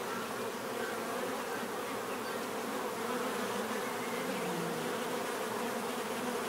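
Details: Many bees buzzing in nature, a steady dense hum with a low drone band and rich overtones, unbroken and even in loudness throughout, no other clear sounds.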